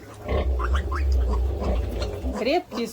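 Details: Pig asleep and snoring heavily, a steady deep rumble filling the whole stretch, with a few bird chirps and a voice faintly over it.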